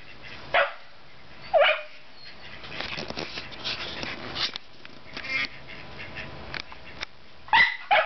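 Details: Scottish Terriers, two dogs, barking: a few sharp yapping barks near the start and end, separated by a stretch of quieter clattering and shuffling sounds.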